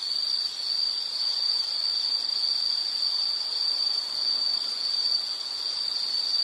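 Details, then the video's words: Steady piercing insect trill holding one high pitch throughout, a fine rapid buzz with little variation, accompanied by gentle outdoor hiss. "Sound · Nature Sound of nature sounds scenery L · insect"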